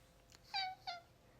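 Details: Alfie, a cat about to go exploring outdoors in the morning, gives two short meows, the first slightly longer and falling, the second brief, against a faint background hum.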